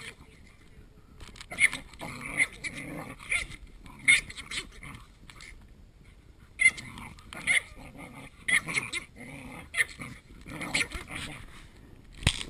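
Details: Small Chihuahua play-fighting with a much larger dog; rapid throaty growls and snarly yips come in clusters, pausing briefly, with some speech faintly underneath.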